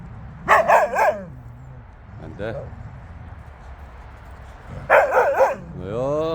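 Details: Jindo dogs out on a free walk, giving two quick bursts of three sharp, ringing yelping barks, with a short rising whine after the second burst. A person talks between the barks.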